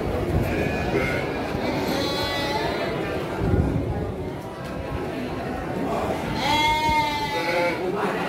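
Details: Garut ewes being traded at the busy Andir livestock market in Garut, Indonesia, on 5 April 2021. A short bleat comes early. Later a louder, quavering bleat with rich overtones stands out over constant crowd chatter.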